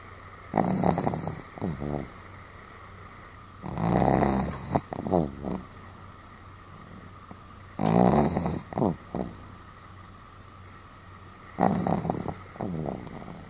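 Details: Sam, a Pomeranian, snoring rather heavily on 31 July 2015: four loud rasping snores roughly every four seconds, each a broad noisy inhale followed by fluttering snorts, with quiet low hum between them.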